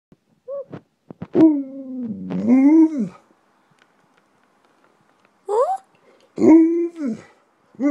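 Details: Alaskan Malamute (Canis lupus familiaris), vocalizing.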